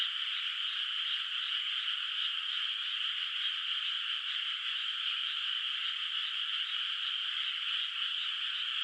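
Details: At night in a moonlit, still-unplanted rice field in the countryside, many frogs call together, a continuous shimmering wall of rapid pulsed croaks that stays even in loudness throughout.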